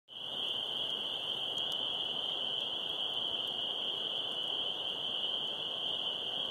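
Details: A dense backyard chorus of spring peepers (Pseudacris crucifer) about 100 yards away: countless high piping peeps blending into one continuous shrill ring.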